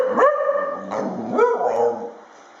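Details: Dog making a funny noise: short barking yelps that slide into wavering howled tones, three voiced bursts over about two seconds, with a faint steady background hum.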